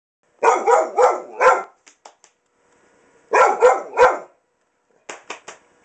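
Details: Hunter, a pet dog, attacking its owner's pants in play, gives two bursts of four loud harmonic barks, each group followed by a few short clicks, with quiet gaps between.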